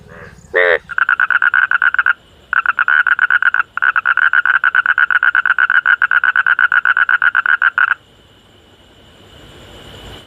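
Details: Four frogs calling at night give long, fast runs of buzzy, evenly pulsed croaks with brief pauses between bouts.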